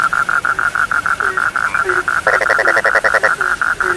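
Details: Frogs give evenly spaced pulsed notes about four times a second. A harsher rattling burst overlaps them midway, and occasional low croaks sound beneath.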